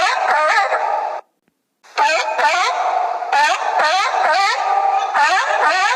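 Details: Dog giving rapid, high, whining yips with bright harmonic sweeps, falling and rising in quick bursts, broken by a short silence near the second mark, then continuing in dense repeated clusters.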